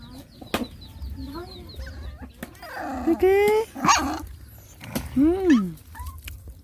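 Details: Hungry puppies nursing from their mother dog; high rising-and-falling whines and squeals in short bursts, with sharp clicks and faint background noise.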